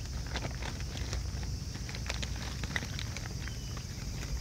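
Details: A family of raccoon dogs eating together, their crunching forming a dense run of sharp, dry clicks and crackles with steady low rumbling background noise throughout.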